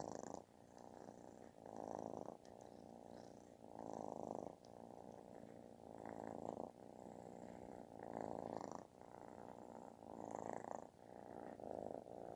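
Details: Affectionate kitten giving a loud, snore-like purr, a thick vibrating drone rising and falling with each breath roughly every two seconds, strong swells alternating with softer stretches.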